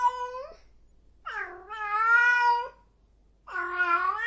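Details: Cat in heat giving loud, drawn-out yowls: a short rising wail, then a long sustained moaning cry of over a second, and a third wail starting at the end, with near-silent gaps between.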